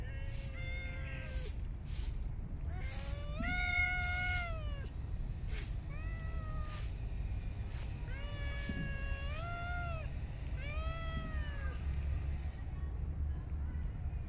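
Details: Park cats meowing while being fed, several drawn-out rising-and-falling meows with clear harmonics repeated every second or two, over steady low outdoor rumble.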